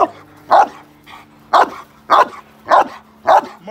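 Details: Male Cane Corso doing protection training in London, UK, barking in a slightly uneven series of five deep barks, with a low background hum and a faint voice.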